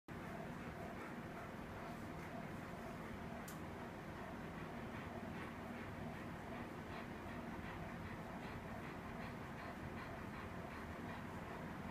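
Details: A passing train rumbles and rattles steadily throughout, with a continuous clickety-clack of rail noise.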